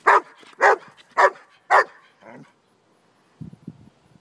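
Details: Pet German Shepherd barking: four loud, sharp barks about half a second apart, a softer fifth bark, then a pause and a brief low murmur near the end.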